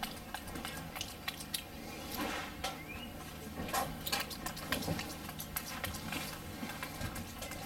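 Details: Wolfgang, a capuchin monkey, smacks and chews through a Johnsonville brat in a small room; irregular bursts of moist clicking and biting sounds, some clustered and some spaced apart, ending just before a person starts talking.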